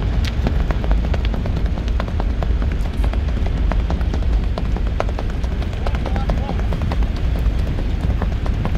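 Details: Hooves of a horse in rewal chal gait strike in a fast, irregular patter of sharp clicks, set against a constant deep roar and faint voices.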